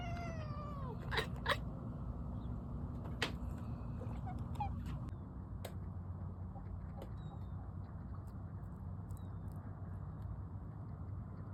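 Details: Domestic cat calling on seeing a squirrel: a quick series of short, downward-sliding cries with bright overtones in the first second, then mostly quiet apart from scattered clicks, taps and a steady low rumble.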